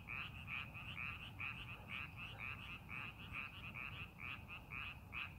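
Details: Frog chorus from paddy fields readied for planting, with quick, bright croaks pulsing in uneven clusters about once per second, layered over a low, steady rumble.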